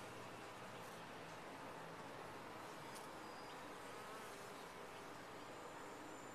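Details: Bees in a top-bar hive produce an unbroken wash of buzzing that stays level throughout, with a soft low hum and a few faint higher whines drifting over it.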